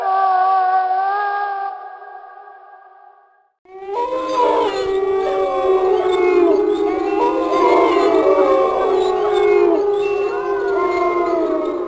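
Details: One steady wolf howl that fades out, then after a short silence a dense chorus of many wolves howling together, with wavering, overlapping pitches.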